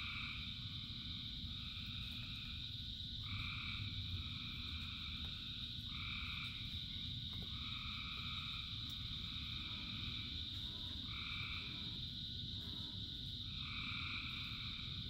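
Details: Frogs calling in rain: a steady high-pitched chorus under broad rain hiss, with nasal, two-toned calls of about half a second to a second, repeating every few seconds.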